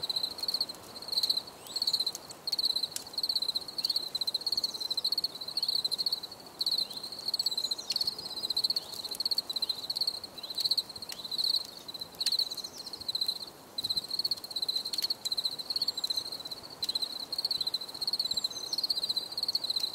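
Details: Continuous cricket song for relaxation, a bright high trill broken into rapid pulses that repeat without pause across twenty seconds, joined by brief sharp clicks.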